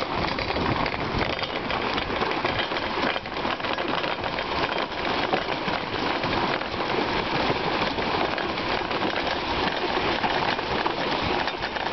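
A steady, even rushing hiss like rain or a moving vehicle, with no animal voice.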